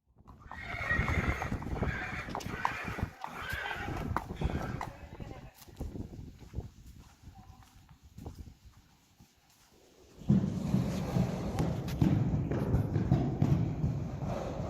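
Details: Friesian horse colts, Harm and Hendrik, born in 2018 and filmed on March 28, 2020: a wavering harmonic whinny-like call over the first four seconds, with scattered thuds and hoof knocks, then a quieter stretch and steady low rumbling noise from ten seconds.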